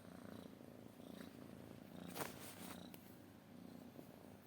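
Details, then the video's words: Purring cat, a low throbbing rumble in steady cycles, with a brief scrape or rustle midway and faint background chirping. "kucing mendengkur"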